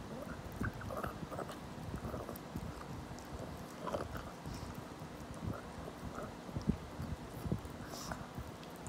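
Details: Steady crunching and wet chewing from a 17-year-old senior dog working on a rabbit-ear treat; quick bursts of clicks with a few sharper snaps near the end, low hum underneath.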